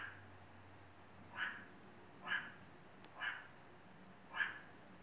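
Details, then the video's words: A meerkat at the El Paso Zoo in Texas gives four short, sharp, mid-pitched calls, roughly one a second, over a low background hum. "Vocal Meerkat"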